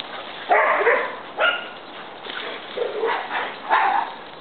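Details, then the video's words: Playing dogs, one big and one little, let out a run of rough, harmonic play barks and growly yelps in uneven bursts, with a brief pause in the middle, over continuous background noise. "Big and little dogs at play"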